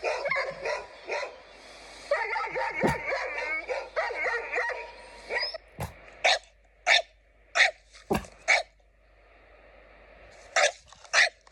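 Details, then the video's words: A dog's bark sounds more like a cough: whiny, wavering vocalizing gives way to short, sharp, husky bursts repeated about every half second to second. "It sounds more like a cough than a bark!"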